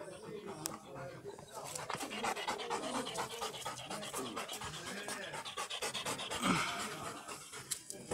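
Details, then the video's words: A tired black Labrador Retriever pants after a long walk: quick, raspy, breathy huffs of about two per second, uneven in rhythm, with what sounds like a human voice in the background. "Tired Black Labrador "Brundo" After Long Walk"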